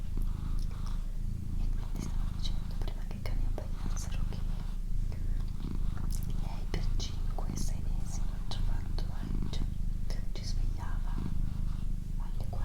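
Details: Domestic cat Doroti, female, gives a low, throbbing purr indoors, partly overlaid by close, hushed whispering and light mouth clicks throughout.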